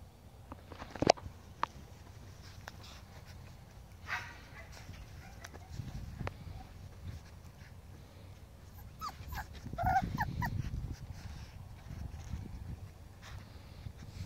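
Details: Five-week-old Pomskies at play with a five-week-old Husky: a sharp knock, then brief soft whimpering and a short whiny cry near the end, over low rumbling movement and scuffling noises.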